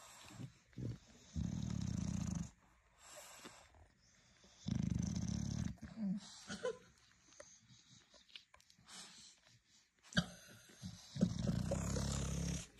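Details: A protective mother bulldog guarding newborn puppies, with a male bulldog looking on, makes several low, throbbing purr-like rumbles of one to two seconds, broken by quieter stretches with small clicks, rustling and brief higher squeaks.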